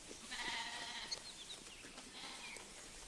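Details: Sheep (Ovis aries) in a quiet Irish pasture give a wavering, nasal bleat of about a second, then a shorter, fainter one, with small bird chirps and soft outdoor hiss behind.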